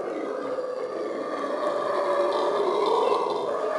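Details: Monkeys screaming and raising cain at Köln zoo: a dense, continuous chorus of overlapping harsh, wavering cries. It holds a steady middle pitch and grows slightly louder and higher toward the end, with no pauses between calls.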